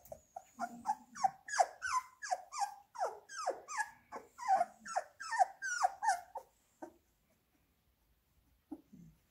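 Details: Labrador Retriever puppies at feeding time with minced beef produce a fast chorus of shrill, falling yelps, about fifteen in six seconds, then fall silent except for a last faint whine.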